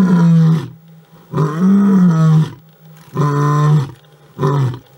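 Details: A big male lion roars in deep, harmonic bursts, each lasting about a second.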